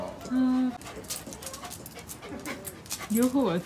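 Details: Kai Ken dog named Ikkyu visiting Yumemigasaki Zoo Park, shown approaching monkeys: a steady, high, tonal whine for about half a second, a pause with scattered noise, then a shorter wavering whine that rises and falls near the end.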